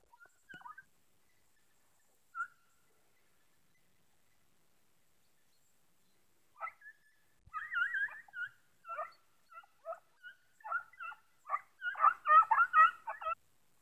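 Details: Beagle and Segugio hounds chasing hare during an August hunt, heard at a distance: a few isolated yelps, then a rapid, excited chorus of overlapping high yips and bays that builds toward the end.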